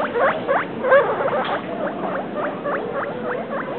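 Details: Short run of squeaks from pet guinea pigs Travis and Shane: a few louder chirps first, then a tidy row of quick, evenly spaced rising notes.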